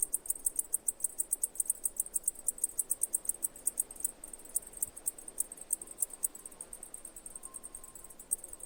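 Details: Steady high, thin chirps from a cicada, fast regular ticking pulses that grow denser and slightly uneven in the second half, with a soft low background rumble and a brief faint tone near the end.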